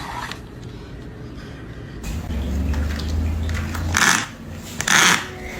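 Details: Indoor room noise with a low mechanical hum, scraping and brief clattering bursts, with faint speech-like sounds; no animal voice is heard.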